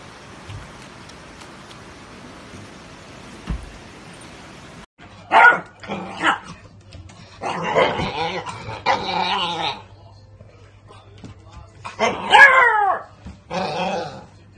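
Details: Beagle puppy giving a short run of yelping, harmonic barks and drawn-out howl-like cries after a few seconds of quiet room noise, with gaps of a second or more between bursts.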